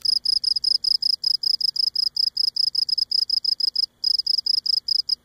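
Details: Cricket singing close up on Cape Cod, rubbing its legs against its abdomen: high, clear pulsed chirps, about five a second, in a steady rapid train broken by one short pause near the end.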